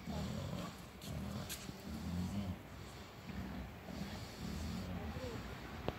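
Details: Wild boar (Sus scrofa) near pavilions by Czyżewskiego Street in Gdańsk Oliwa, Poland, 22 June 2020, give low, rough grunts and snuffling snorts in short repeated bursts.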